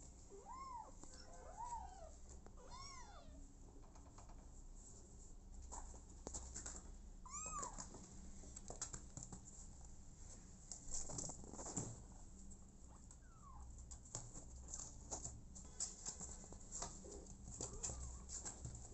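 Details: Abandoned kitten adopted by mother cat Smokey, crying in short, rising-then-falling meows, several in quick succession early on and another a few seconds later, then mostly handling noises and rustles.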